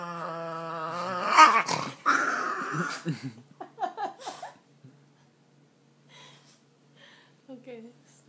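A Boston Terrier grumbles with a drawn-out, moaning whine that breaks into short rumbling growls.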